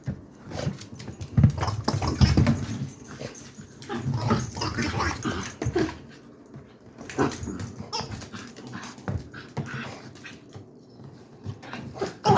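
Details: Dachshund indoors, frustrated while trying to get the squeaker out of a toy: bursts of low grumbling growls and whines mixed with chewing and scuffling, loudest early on, then quieter breathy whimpers.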